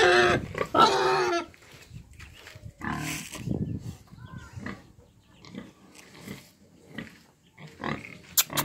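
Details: A loud harsh squeal from eight-month-old Romanian-breed piglets opens the recording, followed by soft low grunts and snuffles at irregular intervals and a brief squeak near the end.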